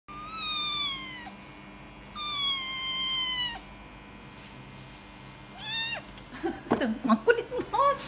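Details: Noisy, energetic Persian kitten after falling from a cat tree, giving three clear meows: two long, slightly falling cries, then a shorter rising one, followed by bumping and scrabbling sounds.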